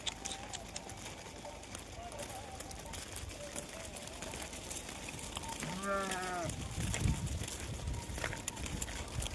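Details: Goat taken out to graze during Dhangar herding life: a single wavering, harmonic bleat lasting under a second midway, set among outdoor rustling, footsteps and men talking nearby.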